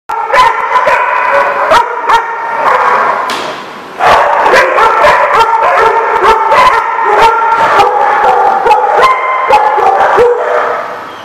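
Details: Several dogs bark together, recorded on 21 April 2014. Sharp, overlapping barks and yips come in dense bursts, some with drawn-out, higher howl-like notes between them, after a short lull near the middle.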